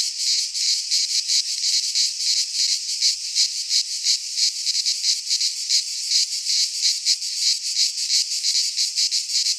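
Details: In a Greek pine forest at midsummer, many cicadas sing together: a shrill, buzzy wall of sound throbbing in fast regular pulses, nearly three per second, with nothing else audible.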